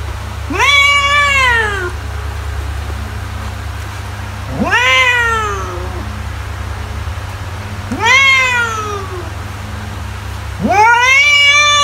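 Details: House cat calling with four bright, arching meows spaced about three to four seconds apart, each rising quickly and trailing off, low hum beneath.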